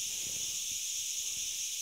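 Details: Brief stretch of a cricket chorus in the forest between Ghafsai and Ourtzagh, Taounate province, Morocco: a constant bright, hissing high drone with nothing else clear.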